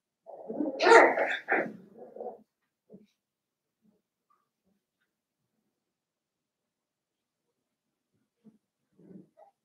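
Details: Litter of five Blenheim Cavalier King Charles Spaniel puppies, seven weeks old, born on New Year's, in an indoor puppy pen: a harsh two-second burst of yapping barks, then a few faint soft whimpers in a quiet room.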